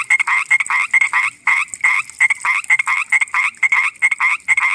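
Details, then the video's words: Common tree frog calling at night: a rapid run of short, rasping, clicking croaks, about three per second, each a sharp, fairly high burst, repeated steadily with no other sounds. "Common Tree Frog sound at night"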